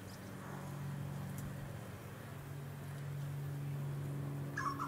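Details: Blowflies of the genus Amenia swarming on fallen palm fruit on Queensland's Sunshine Coast in April 2023: continuous low buzzing drone, swelling slightly, with a brief higher chirp near the end.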